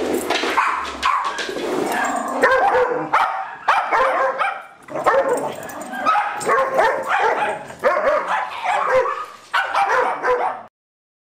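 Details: Play session among the dogs Darwin, Vader, Bars and Boudicca, July 8, 2010. Dense, almost continuous barking and yapping in uneven volleys, with snarly growls mixed in. The noise drops briefly midway, then ends abruptly.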